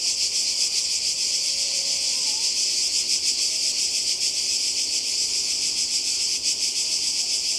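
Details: Cicadas by the sea in Croatia, summer 2020: an intense high buzzing chorus throbbing slightly in volume, with faint distant voices and a short whistle underneath.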